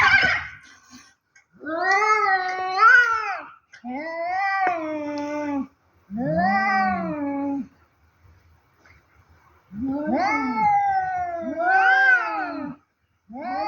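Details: Two cats in a fight, yowling in long drawn-out wails of about two seconds each, rising and falling in pitch, with short silent gaps between the five loud howls.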